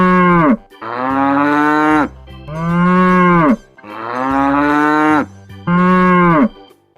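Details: Domestic cow mooing in a children's lesson on domestic animals: five deep, steady, drawn-out moos, some over a second long, separated by short gaps, with faint music underneath.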